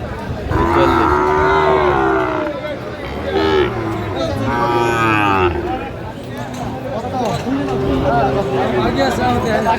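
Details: Cattle lowing at a Cumilla market in Bangladesh where a Sahiwal bull calf is being bought in mid-January 2025. Several long, rich moos rise over constant crowd chatter and haggling men's voices.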